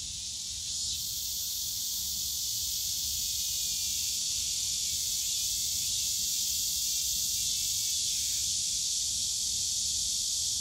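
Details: A wall of cicada sound in Yongsan Family Park's bamboo grove during summer, an intense unbroken high buzz that swells after the first second and holds steady, faint low ambient noise beneath.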